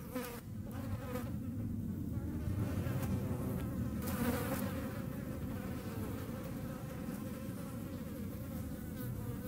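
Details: European hornets, filmed in the Eifel, Germany: a steady low droning buzz of wingbeats holds throughout, with a soft hum layered on top and faint intermittent rustling.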